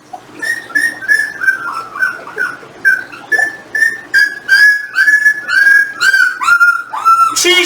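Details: Jindo dogs, a litter of 18-day-old puppies with their parents, being weighed indoors: rapid high whines, each sliding downward, repeated about twice a second in an uneven run, with soft human voices in the background.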